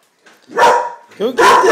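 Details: Female Vizsla barking at a stink bug while her owner urges her to go get it. Two loud, harsh barks, the second longer and rough, with a voiced sound between them.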